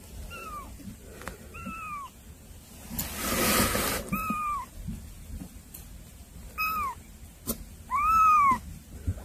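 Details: Cats that came to see their younger sibling kittens: five short arched meows, each rising then falling, spaced over nine seconds, with a brief rushing noise burst near the third second and a few sharp clicks between calls.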